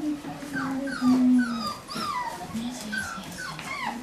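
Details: Nervous medium poodle puppies, newly arrived somewhere unfamiliar in October 2013, keep up a steady stream of soft, reedy whines, some held flat and others swooping down, with quiet overlapping cries from more than one pup.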